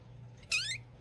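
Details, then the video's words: A cat, asked whether it is hungry, answers with one short, high, squeaky meow that rises in pitch and lasts about a third of a second, heard indoors over a low steady hum, with people talking just before and after. "Cat Meowing Sounds"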